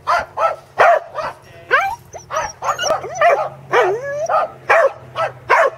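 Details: A Royston Corgi barks in a quick, steady series, mixing sharp barks with higher, whining yelps, on its second attempt at herding sheep at Island Crossing Farm in Arlington, 27 March 2011.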